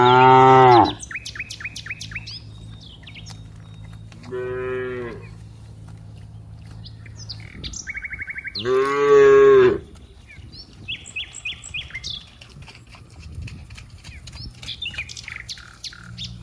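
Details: Cows out in green rice fields, playing with one another, letting out three long, loud moos several seconds apart, while small birds chirp in short repeated bursts during the quiet gaps.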